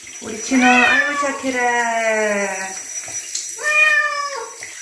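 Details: Chino, a pet bobtail cat, is bathed and gives a long, wavering meow that rises sharply, then trails off slowly, followed after a pause by a shorter, steady meow. Water sounds accompany it.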